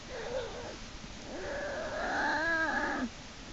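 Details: Black bear cub in Lily's den, March 1, 2011, screaming while Hope drags him back inside by a hind leg after he tries to escape; a short wail, then a long rising-and-falling harmonic cry ending abruptly.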